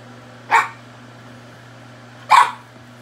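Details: French Bulldog squaring off against a bobcat, giving two short, sharp barks about two seconds apart over a steady low hum.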